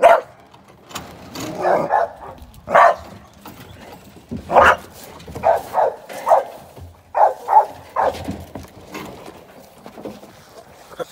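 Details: Barking from a young American Staffordshire Terrier during sporting-dog training ahead of ADBA shows: irregular short barks spread across the clip, some doubled, with pauses between volleys.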